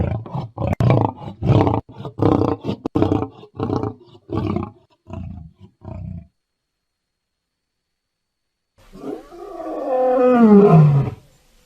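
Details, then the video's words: Lion roaring: a string of short, hoarse grunting pulses that fade out, then silence, then one long, loud roar that slides downward in pitch. "Gerçek Aslan Sesleri Yüksek Kalite | Lion Sounds in High Quality"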